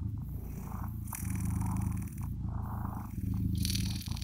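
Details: Close, rhythmic purring from blue British Shorthair kittens: a deep buzzing rumble swelling with each breath, about every second, with soft scraping sounds in between.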